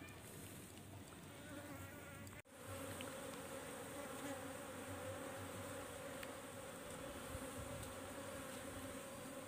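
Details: Asian honey bee (Apis cerana, locally nyiruan) colony being taken from a tisuk tree to move into a box; a dense, steady buzzing hum of many bees with a tonal band, one brief dropout near the start.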